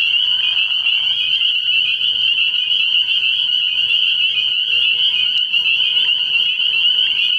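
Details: Nighttime frog pond in early spring, where spring peepers form an unbroken high-pitched chorus of overlapping peeps, joined briefly near the start by a lower murmuring sound, with a faint deep hum throughout.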